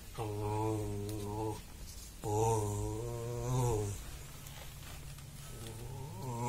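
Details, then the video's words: A friend's dog rumbles with pleasure as its back gets scratched: steady low droning groans, two long bouts and a fainter third, harmonic and even, with soft rustling between them. "Пёсик чешет спинку и урчит"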